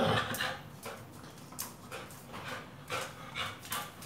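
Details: Pit Bull dog in training with a tyre, breathing in quick, uneven, breathy panting bursts over about four seconds, with no other clear sounds.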